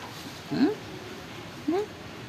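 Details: Gentle, playful orange cat that lives at a pagoda gives two short rising meows about a second apart, each sweeping upward in pitch, over a quiet background.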